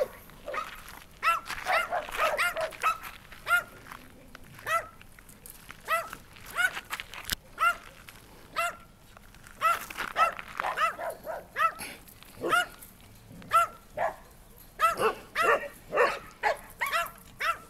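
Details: Repeated barking from Martin, a sweet, sociable dog in animal-welfare care: dozens of short, ringing barks in uneven bursts, sometimes doubled or clustered, with brief pauses between volleys throughout.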